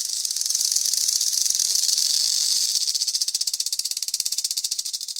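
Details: Rattlesnake shaking its tail rattle as a warning to intruders: a dry, hissing buzz high in pitch, steady at first, then breaking into rapid distinct pulses about four per second toward the end.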